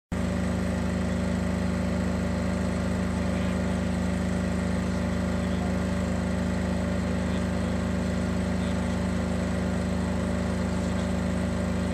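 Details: A loud, steady motor drone with a low hum and a buzzing overtone runs unbroken through the whole stretch outdoors on August 21, 2011; no animal voice is heard.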